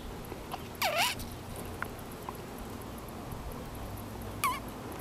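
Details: Baby Sonoran Desert ground squirrel that roams a backyard in the Sonoran Desert. Two short squeaks: a dipping then rising one near the start, a brief second squeak about three seconds later, over quiet background hiss.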